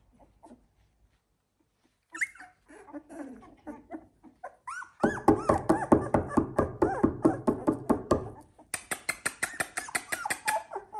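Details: Indoors, a Z2 litter of Labrador Retriever puppies aged 16 days makes quiet snuffles at first, then a loud dense chorus of rapid whimpers and squeals, ending in higher sharper yelps.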